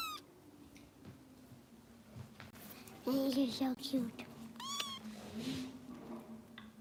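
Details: Bottle-fed foster kitten with Los Angeles rescue volunteers lets out a few piercing, falling meows, one near the start and one later, over a steady low hum with brief human speech in between.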